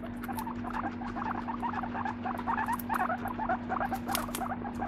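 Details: Moru-chan, a pet guinea pig, keeps up a rapid string of small squeaky, burbling notes, about two each second, with a constant low hum behind.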